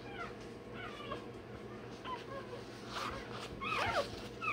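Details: Rottweiler puppy, one day old, during tail docking and dewclaw removal: short high yelps and whimpers scattered throughout, rising in intensity toward the end, over steady background hum.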